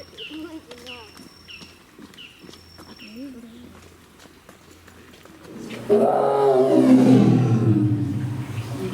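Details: Amur tiger, also called Siberian tiger, roaring: a series of short, chirping bird calls first, then at about six seconds a sudden loud, deep, rough roar that swells and rumbles on to the end.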